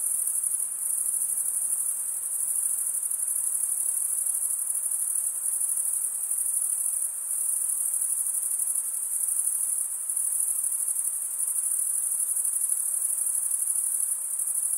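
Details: Cricket chirping, or stridulation, made by males rubbing a wing edge along the toothed underside of the other wing: a steady, high, shimmering trill continuing unbroken, only small dips in loudness.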